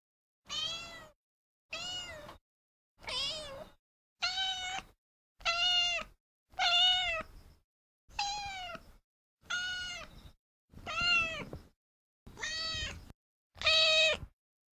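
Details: Domestic cat meowing: eleven separate meows over about fifteen seconds, one every second or so. Each is a tonal, slightly bending mew, some rising then falling, with quiet pauses between and no other sounds.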